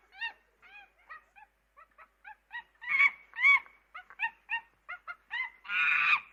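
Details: Monkey. A monkey calls in quick, uneven bursts of brief squeaky notes, each rising and falling in pitch. Louder, raspier cries break in partway through, and a long harsh scream closes the sequence.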